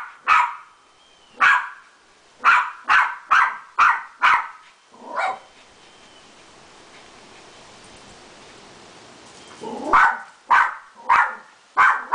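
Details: Adi, a Beagle dog, barking on meeting a poodle friend: a quick run of sharp, loud barks about every half second, a quiet pause of several seconds, then four more barks in a row.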